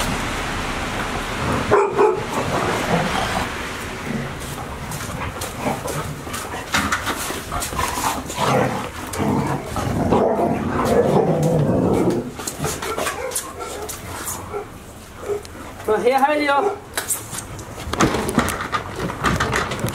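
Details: Five Golden Retriever puppies aged 158 days, indoors all day at Ain Village during the approach of Typhoon 24, 30 September 2018; busy stretch of mixed barks and yips with scuffling and household noise, a wavering whine near the end.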